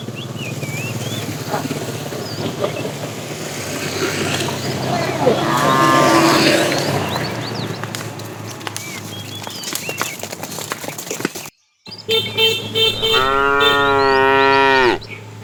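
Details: A tame herd of cows herded in the afternoon, a fat cow calling the female: a faint moo midway under rustling and clatter, then a brief gap and a loud, sustained harmonic moo near the end.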